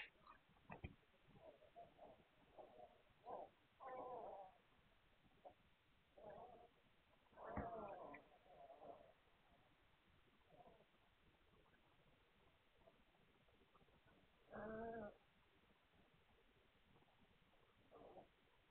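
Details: Hungarian Vizsla puppies recorded on 9 March 2021: soft grunts and short whimpering whines come in irregular bursts, with louder, fuller cries near four, seven and a half and fifteen seconds against a quiet background.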